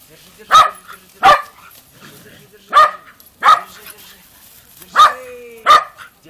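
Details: Dogs at a country dacha giving six sharp, loud barks spaced about a second apart, with a person talking and a faint rising whine between barks.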